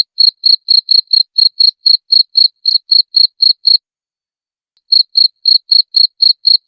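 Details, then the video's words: Cricket giving a clean, high, ticking chirp in a steady series of about four per second, used as tutor material for songbirds; the series stops for about a second in the middle, then continues unchanged. "Masteran Jangkrik Suara Jernih"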